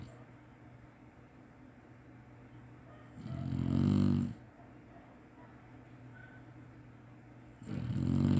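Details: Chinese Shar-Pei napping, snoring as usual: two loud, low, rasping snores about four seconds apart, the second starting near the end, over quiet room hum.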